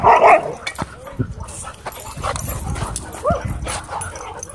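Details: Dogs playing at a dog park: one loud, sharp bark opens, then softer scattered yips and rough vocal bursts follow amid general background clatter.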